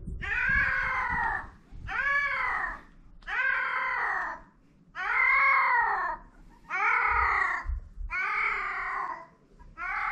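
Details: Stray cat yowling during mating on a cat island in Japan, a steady series of long wavering caterwauls, each rising then falling over about a second, repeated roughly every one and a half seconds with short silences between.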